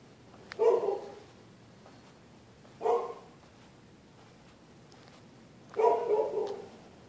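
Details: A neighbour's dogs bark at night at people using the public sidewalk. Three fairly distant, hoarse barks come at irregular intervals, the last one doubled, over a quiet background.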